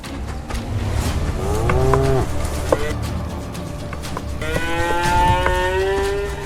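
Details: Male African buffalo in a Zambian herd clashing in power contests to impose order; a short bending bellow near the start, then a longer steady groaning call in the second half, over a low rumbling musical backdrop.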